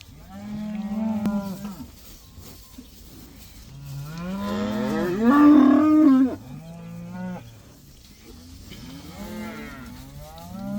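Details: Cattle moo in chorus after being let out for the first time, one herd of around 80 cows; overlapping drawn-out lows, a louder rising bellow midway, then further short moos from several animals.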